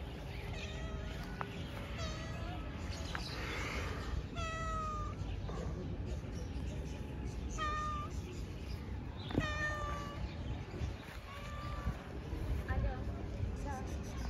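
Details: Cat meowing outdoors amid steady low rumbling noise: short, thin meows repeated roughly every one to two seconds, some with a brief falling or flat tone, over constant background hum.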